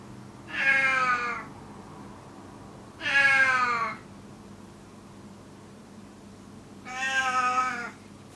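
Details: Gon, an elderly rescued male cat with FIV, kept in a cage and calling loudly and constantly, voice described as crow-like or sheep-like; three long, loud harmonic meows, each about a second, spaced two to four seconds apart in a quiet room.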